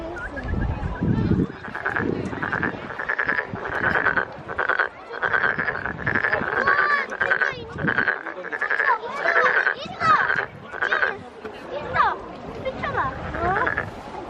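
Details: Calling frog at a Korean lantern festival in Nowon, cheeks puffed out: long sequence of harsh pulsed croaks in rapid bursts, some bleating-like notes, a low rumble at the start and background chatter.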